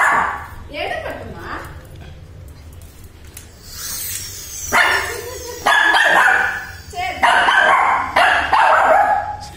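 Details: Little Shih Tzu in Chennai, afraid of a Batman toy bike, gives several sharp, broadband barks spaced about a second apart in the second half, while a person talks in Tamil throughout.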